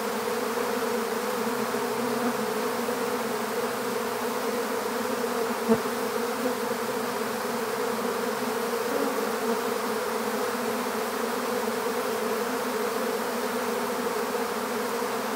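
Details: A swarm of honeybees heard while being collected into an empty hive: constant, even-pitched droning buzz with rich harmonics, broken only by one sharp click near the middle.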